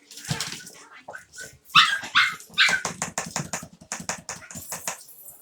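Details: Playful Havanese puppies in an office let out a quick run of shrill, upward-sweeping yips, roughly two or three per second, over low scuffling and faint background chatter.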